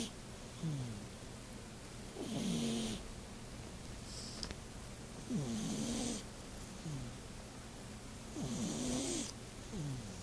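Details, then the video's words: Domestic cat, asleep, snoring quite loudly: low rasping rumbles with breathy, hissing intakes, repeating roughly every two to three seconds in a slow, uneven rhythm over a quiet indoor background. "Snoring kitty"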